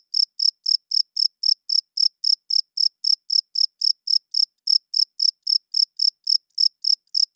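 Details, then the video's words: Nighttime chirping of a male cricket, which rubs its wings to attract females and mark territory. Sharp, high-pitched pulses repeat at a quick, even pace of around 26 in seven seconds. The background is otherwise silent. "40 Minutes of Cricket Chirping Sounds - Cricket klinkt 's nachts luid"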